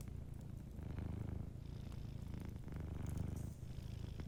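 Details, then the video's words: Gentle purring of a sleeping cat by a cozy fireplace, a deep continuous rumble that swells and eases in slow breathing cycles, with almost no fire crackle. "Warm Fireplace Ambience with a Sleeping Cat 🐱💤Fireplace & Soft Purring"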